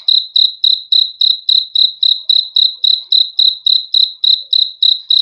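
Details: Cricket singing a steady run of high, shrill pulsed chirps, each evenly spaced, about three and a half per second, with nothing else audible.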